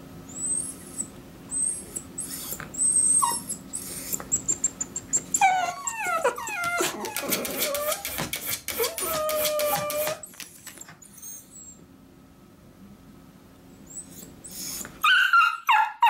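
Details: Miniature dachshunds Choco and Kuu, pet sisters, protesting as their owner leaves for work, wanting to go along: a scattered mix of short yips and drawn-out, wavering high whines, loudest midway, then a quiet stretch before fresh yelps.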